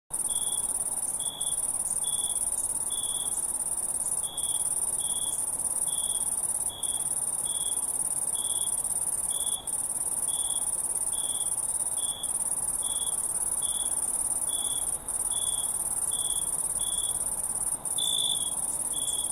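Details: Crickets chirping at night: short, bright, high chirps repeated steadily about every half second, over a continuous shrill, very high insect trill with faint periodic clicks.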